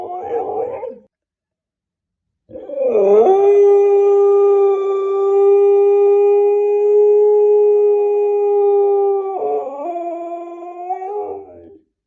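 A Siberian Husky puppy gives a long, steady howl that wavers and drops at the end.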